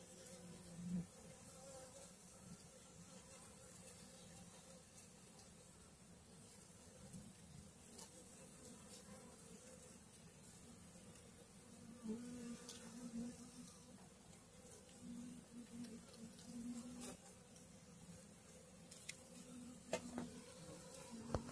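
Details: Honey bee swarm on two frames, food and brood with a queen, recorded in May 2022; continuous low hum and buzzing drone throughout, with scattered handling knocks and clicks.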